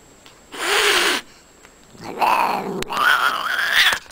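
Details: Cat from a cat fight compilation: a short breathy hiss, a pause, then rising screechy wails in two bursts.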